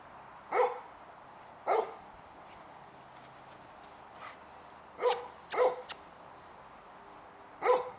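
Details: Five-month-old Labrador Retriever puppy named Depesh, a male, waiting for his owners: five loud, short barks, two early about a second apart, then a quick pair and a single bark after a quiet stretch.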